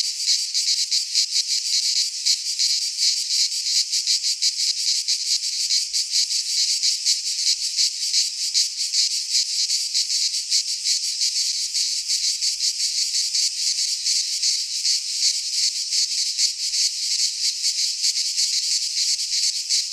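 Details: Midsummer cicada song from a pine forest in Greece: an intense, sizzling high buzz held without break, rippling with rapid pulses about three a second, and no other animals or noises.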